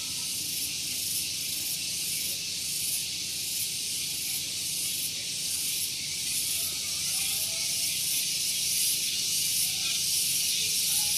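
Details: Morning tonggeret chorus on Gunung Geulis near Bogor, West Java. An intense high-pitched buzz beats in quick even pulses about twice a second, over a low murmur from a nearby parking area.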